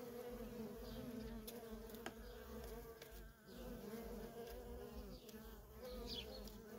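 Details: Nonstop comings and goings of worker honey bees at a wild feral colony, heard as a thick unbroken hum with scattered quick buzzing fly-bys and a momentary dip in the drone.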